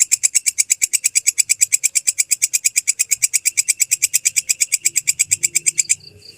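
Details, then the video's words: Tutor recording of a real belalang kecek grasshopper for training songbirds: a rapid, regular series of sharp, sizzling high ticks, then a sudden stop followed by faint low murmuring sounds. "Masteran Suara Belalang Kecek asli"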